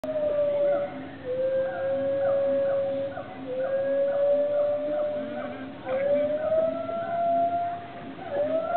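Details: Gibbons calling to each other at a sanctuary on an island in southern Thailand: long sustained hooting tones sliding gently up and down, overlapping voices with rising swoops.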